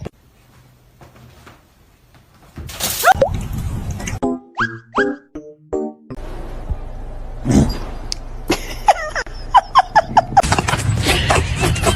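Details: Playful music runs throughout, dotted with cartoonish boing, plop and clink sound effects.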